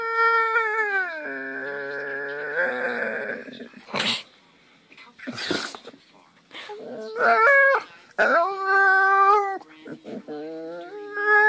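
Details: Sleepy dog making strange noises: long, wavering, tonal whines and howl-like moans, held for a second or more and sliding up and down, broken by short breathy snorts and bursts of noise.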